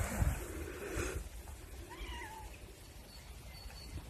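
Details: Spayed feral cat on Cres island, Croatia, freed after trap-neuter-return at a holiday bungalow village, utters a brief, faint, wavering meow midway, following louder thumps and handling noise at the start.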